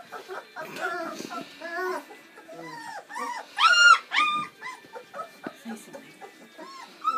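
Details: Seven Bernese Mountain Dog puppies, born on Valentine's Day 2013, at their first feed on Mothering Sunday. Overlapping whimpers and short squeals, with one loud, rising-then-falling yelp near the middle.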